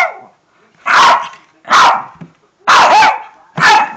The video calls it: Making a Shih Tzu bark is fun!!!!!!!